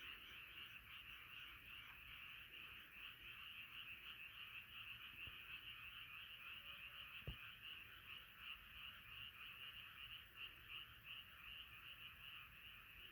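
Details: A nighttime frog chorus carries on relentlessly, dense overlapping croaks pulsing quickly and evenly, with a single sharp tap partway through.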